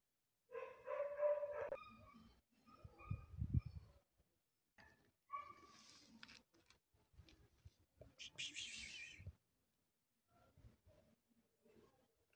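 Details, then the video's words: Lost white cat on the street, meowing in harmonic, drawn-out cries that rise and fall, broken by brief louder rustling and scraping noises and short quiet gaps. "A lost white cat in the street | poor cat"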